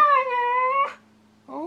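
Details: A 17-month-old female Siberian Husky, eager to go outside, answers her owner with a smooth, level, moaning vocalization under a second long. After a short silence, a second rising 'woo' follows.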